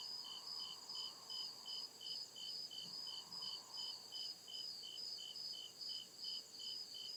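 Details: Woodland crickets at night producing high, regular pulsed chirps in overlapping layers, rhythm steady throughout, with a soft lower buzz coming and going and a faint low thump near the middle.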